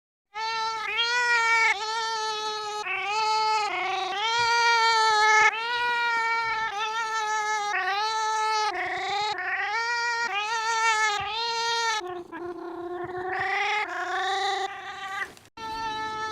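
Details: A loud pet cat giving long, drawn-out, strongly harmonic yowls and wails, mostly steady in pitch, some bending upward near the end, following one another almost without pause.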